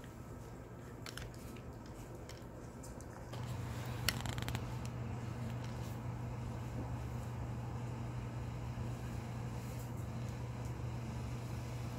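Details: Indoor hum under scattered rustling and scraping handling noises, with a sharp knock at about four seconds; no animal voice.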